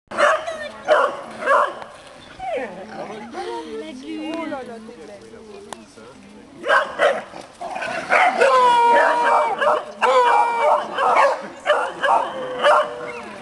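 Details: A pack of dogs in Parc de Sceaux, France, recorded 6 September 2008; bursts of short barks and yelps, a drawn-out wavering whine in the middle, then rapid overlapping barking, with people talking throughout.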